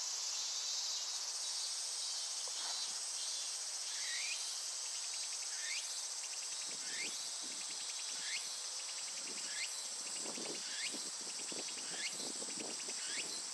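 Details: A Japanese cicada chorus keeps up a continuous shrill, hissing drone. Curved upward-swooping notes recur roughly every 0.6 seconds throughout, and soft low thumps and rustles grow in the second half.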